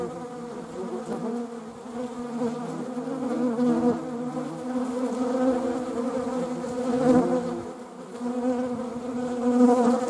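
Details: Honeybees, filmed alongside wasps: a continuous, many-layered droning buzz from several insects at once, swelling and easing in waves, with a brief louder surge near seven seconds.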